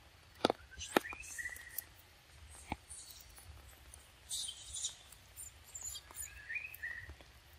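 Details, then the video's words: Little baby monkey Lexi, chilled under the rain with a shaking body, utters a pair of high, upward-sliding cries several seconds apart, with hissing bursts of rain and loud taps between them. "Very pitiful for little baby monkey Lexi so cold under the rain shaking body"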